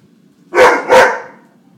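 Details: Weimaraner barking at birds: two loud, broad, harsh barks in quick succession, the second following about a third of a second after the first. The barks fade out into quiet background hum.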